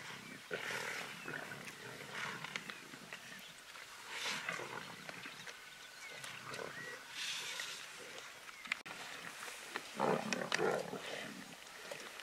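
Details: Pride of wild lions devouring a zebra in the Greater Kruger National Park during the 2018 dry season, giving repeated rough, gravelly growls and snarling bursts at uneven intervals, louder around the tenth second.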